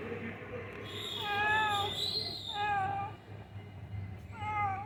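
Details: On a misty, cold morning, a cat found on a building's ground floor mews three times, each meow rising then falling, with a faint tone and low background rumble.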